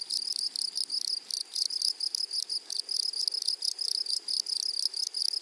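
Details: High, raspy grasshopper song from a flowery prairie meadow, grouped into rapid stuttering bursts with short pauses between them, repeating steadily for several seconds.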